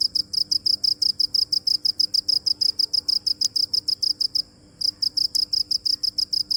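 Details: Cricket chirping steadily in fast, sharp, high pulses, with a short gap about two-thirds through before the same rapid even rhythm continues.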